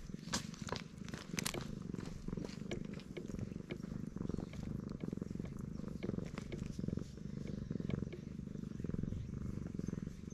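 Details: Stray black cat purring at high volume while being stroked, showing delight, filmed on a GoPro HERO8; steady low rumbling purr, continuous throughout with soft rhythmic pulsing and occasional faint rustling and clicks.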